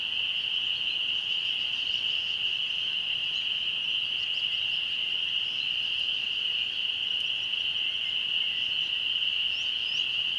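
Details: Spring peepers calling at dusk near a church in the country, where they appear every year around this time; a dense, unbroken high-pitched chorus holds steady throughout, with faint scattered bird chirps above.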